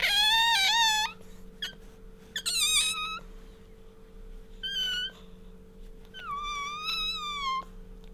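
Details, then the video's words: Pet otter indoors, squeaking while rubbing up against its owner: several high, wavering whistled squeaks, some rising and falling, in bursts about a second long with pauses between, over a steady low hum. "カワウソ鳴き(Otter Bingo's squeak noise would always melts our heart)"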